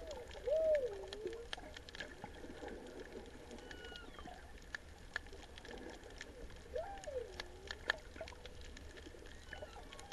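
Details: Distant humpback whale song at Ulua Beach on 24 December 2019 in warm, clear water: drawn-out moaning notes swooping up and down over steady underwater crackle.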